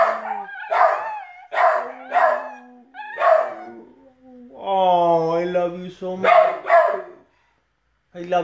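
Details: Puggle, rat terrier and dachshund-pug mix howling over uneaten food as their owner joins in; short yelping howls repeat about every half second, broken by a long low human howl, then more dog yelps.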